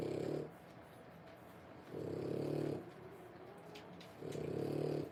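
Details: Low, raspy sleeping breaths from 3-week-old French Bulldog puppies born 1/10/25, three drawn-out snores spaced about two seconds apart in a quiet room.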